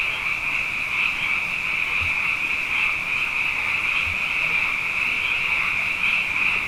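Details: Night chorus of many frogs, plentiful after two consecutive wet years: a continuous shrill, trilling wall of calls with gentle rhythmic swells and a couple of soft low thumps.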